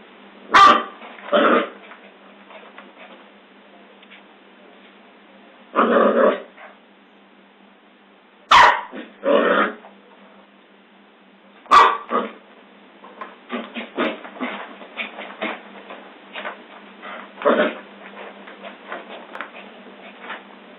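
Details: Scottish Terrier giving scattered sharp barks and rougher, growly bursts separated by pauses, with clusters of clicks and shuffling noises later on.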